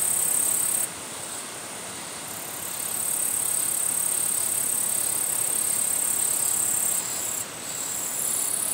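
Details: Japanese katydid bush-crickets calling in the wild during territorial behaviour: a piercing high-pitched drone that cuts out for over a second near the start and again briefly later, then resumes, set against steady rushing background hiss.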